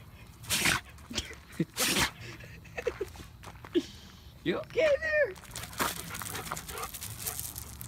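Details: Dog sneezing repeatedly: two sharp, explosive bursts near the start, followed by a person speaking affectionately, with steady background hum.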